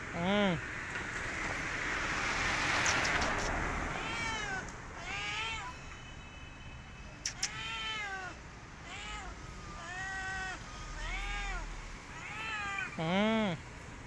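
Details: Stray cat hissing while asking for food: a breathy, noisy hiss early on, then a long series of arched, wavering meows repeated about once per second, ending with a deeper, louder meow.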